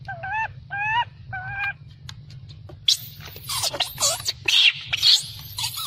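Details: Baby macaque refused milk by its mother: three short, even tonal cries give way to harsh, noisy, loud screams filling the upper range, over a constant low hum.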